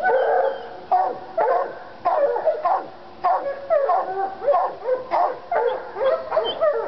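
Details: Two Treeing Walker Coonhounds in North Carolina excited by a raccoon skin; urgent bawls with falling inflections, repeated roughly every half second, overlapping one another.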